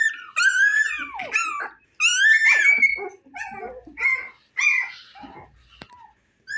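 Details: Husky puppies, 25 days old, eyes newly open and fond of play, whimper and yip indoors in a run of high, wavering whines and squeals that rise and fall, clustered in bursts separated by short pauses.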